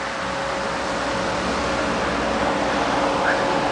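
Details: Steady broadband hiss and hum, like a fan or engine running, with no animal sounds.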